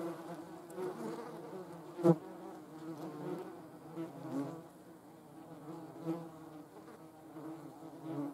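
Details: German wasps (Vespula germanica) buzzing, with low, droning wingbeat hums from several insects overlapping and wavering in pitch. A sharp knock stands out near the two-second mark.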